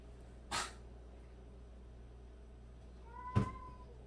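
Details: A single drawn-out meow, slightly falling, from one of 76 rescued household cats kept indoors. Two dull thumps break the room's low steady hum, one of them right as the meow sounds.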